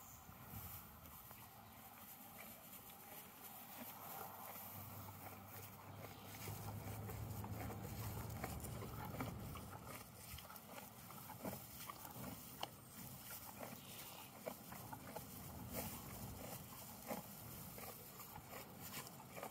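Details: Horse eating hay in a field, steady crunchy chewing with soft grinding bites about two or three times a second over a low outdoor rumble.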